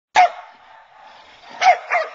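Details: Female Belgian Malinois being worked in training in a back parking lot; one sharp bark, a pause of over a second, then two quick barks close together.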